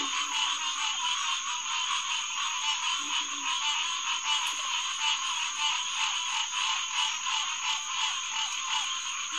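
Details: Green tree frogs (Hyla cinerea) in a dense night chorus at the Headquarters Pond of SMNWR, June 2, 2021, around 9:10 pm: a continuous wall of overlapping nasal calls blending into a steady rasping drone, with a faint low grunt beneath.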